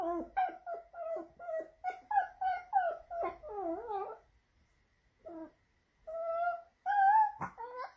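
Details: Leo, a Pomeranian filmed in Saint Petersburg, Russia, in September 2021, howls theatrically to draw attention: quick choppy whining yelps, then a warbling wail, a short gap, and longer rising howls ending with a sharp click.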